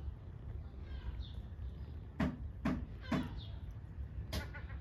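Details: Hungry kitten meowing loudly for its mother cat: thin, high, wavering meows that rise and then fall, partly buried in low rumbling background noise, with several sharp knocks or taps.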